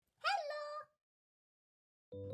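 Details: American Curl kitten about three months old gives a single short meow, a bright rising-then-falling cry lasting about half a second, followed by silence and then a brief steady tonal sound near the end.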